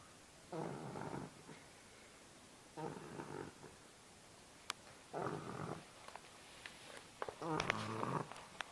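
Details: English Bulldog named Margarita snoring while asleep: rough, buzzy breaths in bursts about two seconds apart, each lasting under a second, with faint clicks and small noises between them.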